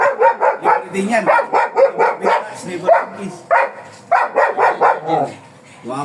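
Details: Rapid, continuous barking from a black German Shepherd kept for stud service at Manaoag, Pangasinan: short repeated barks, some slightly higher and strained, a brief pause midway, then another burst, with a person talking nearby.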